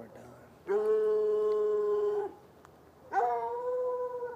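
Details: From about 10 yards across an irrigation ditch on a Saturday night, one of two chained hounds, white and dark, near a red outbuilding lets out two long, level, howling bays, each over a second long, separated by a brief pause.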